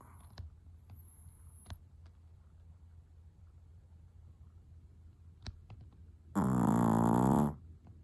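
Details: Napping indoors with eyes half open, the long-haired Chihuahua Marokichi lets out one loud, rasping, tonal snore lasting about a second near the end. Soft clicks and quiet breathing come before it.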